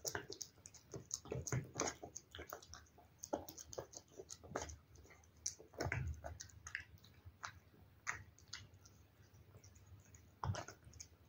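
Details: Pet cat eating wet food indoors: dense, irregular wet chewing and smacking with sharp clicky bites scattered through, a few louder crunchy bursts near the middle and end, no vocal calls.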